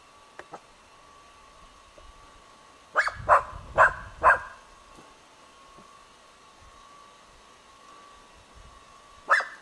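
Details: Dog, named Dora, barking at a dead roe buck on 21 July 2011: three quick sharp barks in a cluster, then one more after a pause, with a faint steady hum behind them.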